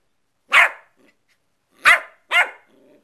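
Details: West Highland White Terrier puppy in play, three sharp high yaps, one alone and then a quick pair, with faint soft sounds between.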